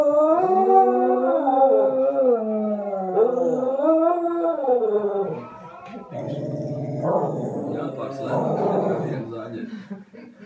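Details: Westie singing at breakfast, wavering rising-and-falling howls for about six seconds, then a person talking over softer dog sounds.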